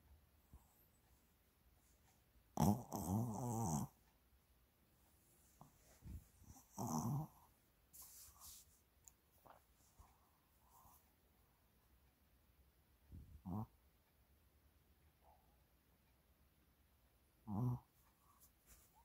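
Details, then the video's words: Shih Tzu named Mini, enjoying a massage indoors, recorded 30 January 2022: a few short grunting, growly vocal bursts spaced several seconds apart, the first and longest near the start, over a quiet room with faint soft noises. "마사지가 너무 좋은 시츄 미니 Shih Tzu Mini loves massages.シチュミニはマッサージが大好き。"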